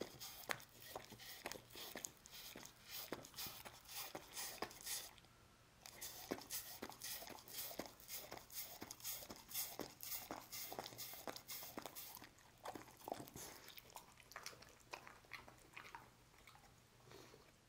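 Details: Lucy the dog laps up a Churu treat in a small room, producing rapid moist smacks and tongue clicks roughly two per second, pausing briefly near the sixth second before resuming, over a faint constant low hum.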